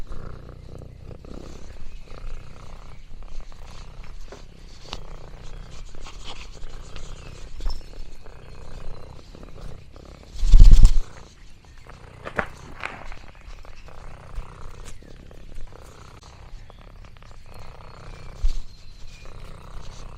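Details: Contented purring from Lexi, an orange tabby cat, during a day on a countryside farm: an even, deep, pulsing purr for twenty seconds, interrupted once midway by a loud thump, with soft rustling around it.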